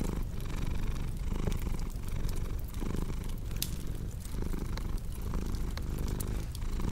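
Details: A cat purrs in a deep, even rumble, rising and falling in breath-length waves, while a cozy fireplace crackles with scattered sharp pops in the background.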